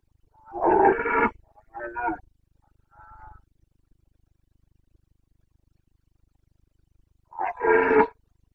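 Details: Carpathian red deer stag roaring during the mid-September to mid-October rut in Bucovina's mountains, 2022; a sequence of three descending, rasping bellows, the last quite faint, then a pause and another powerful roar.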